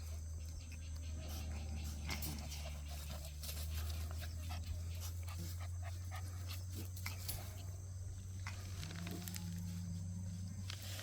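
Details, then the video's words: Cheondol's puppies at play, with a larger pup that is Heukhyang's daughter alongside; soft whimpers, panting and scuffling noises scattered over a steady low hum. "천돌이 강아지들///언니야 놀자///"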